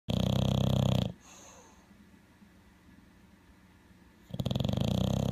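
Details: Male bulldog asleep indoors, his snore likened to an alligator: a loud, rasping, low rumbling snore about one second long, a few seconds of quiet breathing, then another harsh snore beginning.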